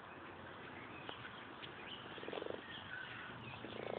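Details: Frogs crowded in large numbers into a very small garden pond in the U.K., giving soft, low purring croaks in pulsed bursts, one cluster midway and another at the end, over a steady hiss with faint higher chirps.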